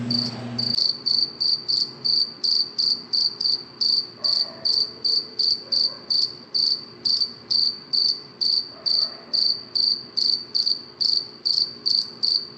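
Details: Cricket chirping at night, a steady high-pitched pulsed chirp repeated roughly two to three times a second throughout, after a brief low thump at the start.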